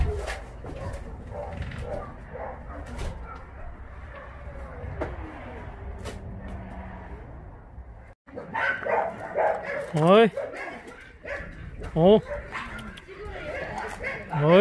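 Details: Dogs at Mindeulle Shelter, an abandoned-dog shelter in Yangsan, South Korea: a quiet first half of low rumble and murmuring, then a burst of sharp, harmonic barks and yelps in irregular clusters, with voices nearby.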